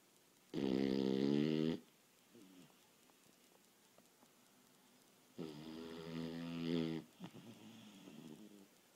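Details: Indoor nap of a Boston Terrier worn out from a day of play and running: two long, buzzing, rattling snores about four seconds apart, with soft snuffles between them.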